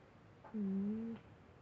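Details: Pumba, a cat fast asleep, lets out a single soft whistling snore lasting over half a second, steady low pitch with a faint upper tone, against a quiet indoor hiss.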